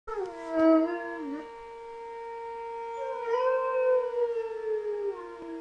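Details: Knuckles, a German Shepherd, howls in reaction to a monthly siren test: wavering, sliding howls near the start and again midway, riding over the siren's steady unbroken tone.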